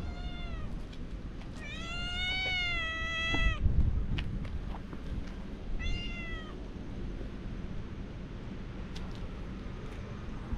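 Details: Family of three cats out walking together, grown wary when someone tried to play with them. There are two drawn-out, slightly wavering meows, the first about two seconds long and a shorter one after, over steady low outdoor rumble.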